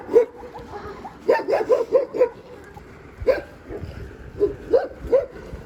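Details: Pair of overexcited Siberian Huskies collected from a dog hotel and walked home utter short, sharp yips and squeaky whines in quick clusters, about a dozen over a few seconds, with quiet pauses between.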